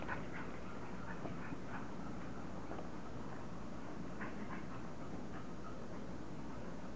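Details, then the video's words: English Bulldog puppies playing and goofing around at a kennel, giving short, soft whimpers and grunts in quick bursts over a steady low rumbling background. "Puppy English bulldogs"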